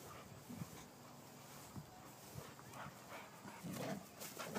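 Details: Two male Boxers, Bacon and Jake, close friends full of energy, playing rough together, filmed on an iPhone; short low growling and grunting bursts come at irregular intervals, separated by soft scuffling and quiet background noise.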